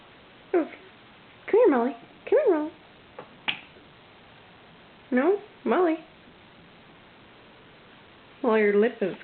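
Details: A female Chiweenie, described as very vocal, gives short, whiny yips that bend up and down while playing with another dog, with a woman's voice between them.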